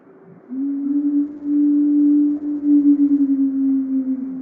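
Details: Wild female gray wolf 907F, alone in Yellowstone on November 15, 2023, separated from her pack and seemingly trying to find them, in a steady sustained howl. It holds one low pitch with slight wavering and a faint upper harmonic.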